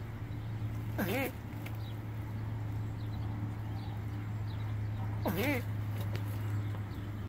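A Burmese star tortoise gives two nasal, wavering, duck-like squawks about four seconds apart during mating, over a steady low hum.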